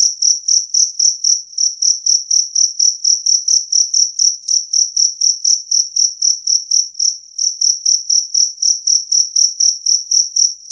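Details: Clear, loud chirping of a two-spotted cricket, recorded for scaring off rats; shrill, high-pitched pulses repeat evenly at roughly four per second, with a brief hitch midway, and nothing else is heard.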